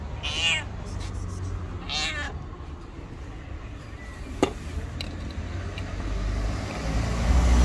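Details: Hungry stray white cat meowing loudly at a person's feet on the street; two quavering meows in the first seconds, then a sharp click and rising low rumble of traffic.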